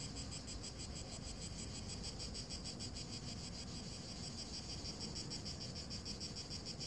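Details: Heat and dry grass with cicadas chirring: an unbroken, high, buzzy trill made of quick pulses, about three per second, evenly sustained, over faint low ambient rumble.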